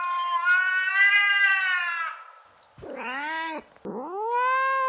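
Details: Domestic cat calling to attract another cat: a sustained two-second meow, then a quick downward-dipping cry and a rising, upward-sweeping meow.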